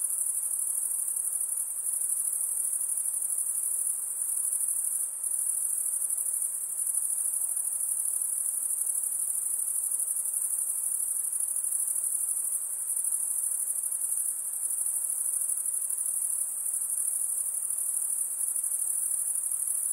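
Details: Insects give a steady, unbroken high-pitched shrill drone with no pauses, holding one even tone throughout. No other clear sounds are heard.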